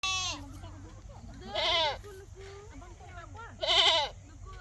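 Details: Goat crying: two loud, wavering bleats, each about half a second, rich in harmonics with a quavering tremble, roughly two seconds apart, between softer lower bleats and faint murmuring in the background.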